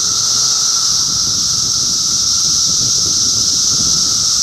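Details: Cicadas massed in Middlesex County, New Jersey, in June 2013, producing a steady, dense, hissing chorus with a fainter sustained lower hum beneath it, unbroken throughout.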